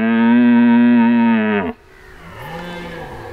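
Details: Red deer stag during the rut: a powerful, sustained, deep roar of nearly two seconds that ends with a sharp drop, then a fainter, lower roar answers softly.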